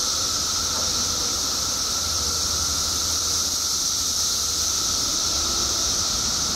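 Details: Mass emergence of periodical cicadas in Illinois State, seventeen years underground; a dense, unchanging shrill chorus fills the air, pitched high with a fainter lower hum, steady from start to finish.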